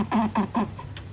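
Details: Netherland Dwarf rabbit kept as a pet, snorting its nose in apparent territorial awareness: three quick, puffing grunts in close succession, then a faint fourth, over a low indoor hum.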